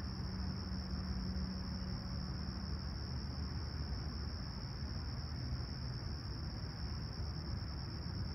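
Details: Crickets chirp at dawn on a clear, calm July 28, 2020, at Humber Bay Shores, Toronto, at 20ºC: an unwavering high-pitched trill continues throughout, backed by a dominant low rumble and a brief low hum early on.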